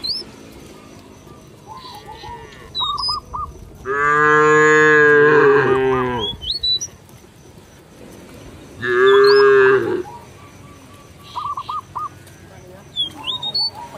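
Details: Cattle in a village field calling companions to return to the barn: two loud, rich, drawn-out moos, the first about two seconds long, the second shorter, with birds chirping and whistling in the background.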